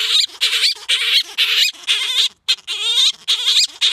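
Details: Loud courtship singing from Gelert, a grey-headed flying-fox wooing Diva: harsh, grating harmonic notes with wobbling, trilled pitch, repeated about twice per second with only brief gaps.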